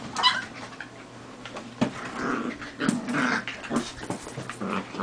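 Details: Wire fox terrier puppies, three of them hard at play; rough, noisy growling and short yipping bursts come in scattered spurts over a low steady hum.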